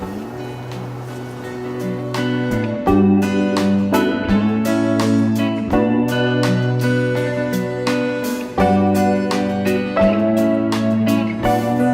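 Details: Instrumental music with sustained tones and plucked, guitar-like chords plays throughout, with no animal sounds.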